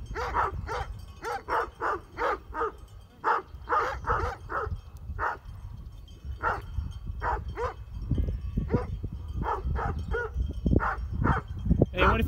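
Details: Sheep-guarding Great Pyrenees in Heber, Utah, keep up a volley of gruff, repeated barks at mountain bikers, pausing briefly midway, while heavy wind or movement rumble grows toward the end.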